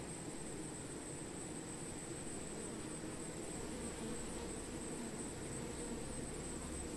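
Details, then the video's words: Honey bees among plants make a steady, dense low drone, with a thin high whine running underneath. "Honey Bee - Relaxing Sounds of Bees"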